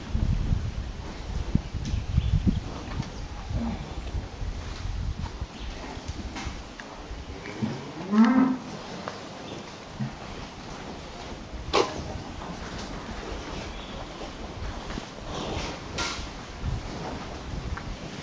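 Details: Dairy cows in a corral: a single low, drawn-out moo rises briefly midway, set against steady rumbling background noise with scattered knocks and clatter.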